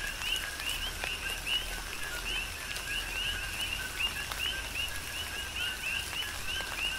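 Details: Coqui frogs serenading in tropical rain on the Big Island of Hawaii: clear rising two-note calls repeat in quick succession from several frogs, set against continuous rainfall and occasional louder drips.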